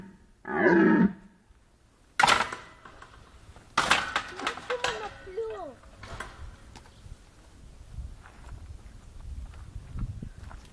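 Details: Red deer at Stara Zagora Zoo, recorded 20 September 2011: a single hoarse, harmonic roar of about half a second near the start. Sharp knocks, clicks and human voices follow for the rest.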